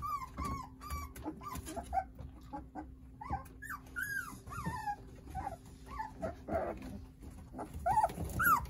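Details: Jindo puppies, a litter of nine playing with their mother Sarang nearby, give a steady string of short, high whimpers, each slurred downward, repeated about twice a second, with a faint low growl and shuffling between them.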